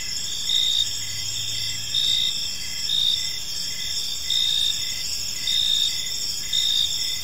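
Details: Gentle chirping of crickets in a serene park at evening, a continuous high-pitched shimmer punctuated by louder trilled bursts roughly every second; a brief low hum near the start.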